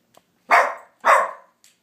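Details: Sofia, a pet dog barking at nothing, gives two loud broad barks about half a second apart, each with a quick onset and fading tail, in a quiet room.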